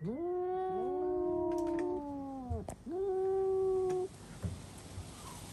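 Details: Cats screaming together after spotting a cat outside: two overlapping voices in low, bending, moaning yowls that rise and fall, then a single long held wail before a quiet stretch with faint noise.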